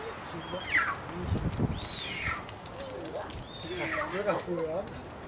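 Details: Captive female snow leopard cub, aged seven months, at Sapporo's Maruyama Zoo, recorded 10 December 2009 as her cry turns more meow-like: three separate high, downward-sliding calls spaced over a few seconds, with people talking in the background.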